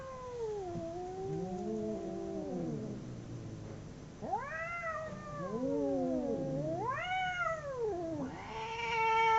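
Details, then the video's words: A pair of domestic cats howling as they fight, a low wavering moan followed by arched, rising-and-falling yowls from both animals, growing louder toward the end. "Two cats howling cats fighting sound"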